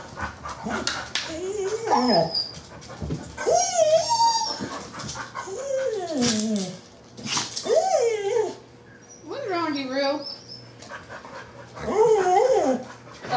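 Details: Confused guard dog indoors makes a series of long, wavering whines and yowls that bend up and down in pitch, like talking, about six bouts with short pauses; a man speaks to it between calls.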